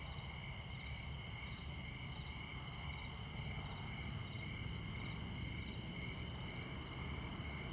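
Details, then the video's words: Crickets calling at midnight in rural Montana by Interstate 94. Several steady shrill trills layered together, a brief pulsed chirp sequence near the end, and a loud low drone of highway traffic throughout. "Midnight Montana Crickets"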